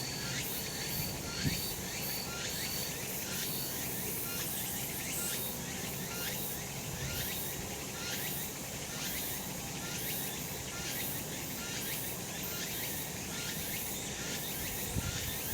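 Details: Sun-drenched summer mountainside with cicadas calling: an unbroken hissing drone pulses in quick regular beats, roughly two or three a second. A faint low rumble lies beneath, with an occasional soft knock.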